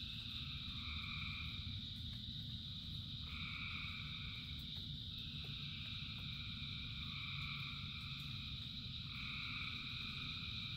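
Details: Frog chorus during rain: layered continuous trilling at several pitches, with mid-range callers joining in bursts lasting a few seconds, set against a steady deep background roar of rain.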